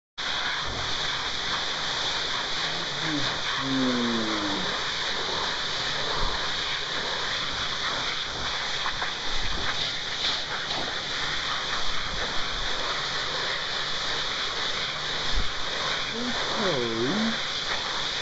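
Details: Jack Russell Terrier named Toby, unhappy while being blow-dried, gives two brief low moaning whines with wavering, falling harmonics, near the start and near the end, over the steady roar of a hair dryer.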